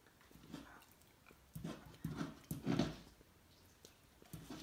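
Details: Cocker Spaniel, a male, barking at his own reflection in a mirror indoors: a few short, soft, low woofs spaced unevenly through the second half, with faint tapping and room noise between them.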